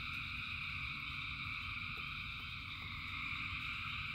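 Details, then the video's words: Massed frogs singing in rain, a continuous buzzing trill in several high layers, a few soft clicks or drips standing out, over the deep steady hiss of rainfall. "Frogs in Rain 2 Hours of Frogs, Thousands of Frogs Singing"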